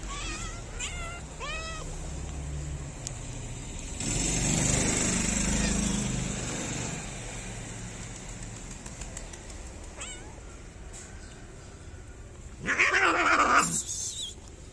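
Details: Stray cats in a Moroccan city meow as they wait for food from the person who feeds them. Several short rising-falling meows come early, a passing vehicle rumbles midway, and a louder, harsher meow sounds near the end.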